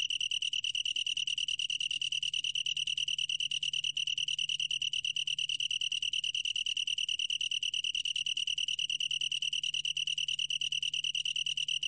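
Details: Long-tailed tree cricket, 2020 recording from the National Institute of Biological Resources, delivering a long, uninterrupted, piercing pulsed trill at a steady high pitch and even volume, with nothing else audible.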